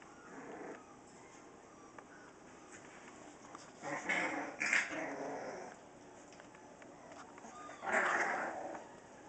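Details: Bulldogge puppies, 4.5 weeks old, playing: mostly quiet scuffling, broken by a harsh, noisy burst of squeals and yelps near the middle and another loud burst near the end.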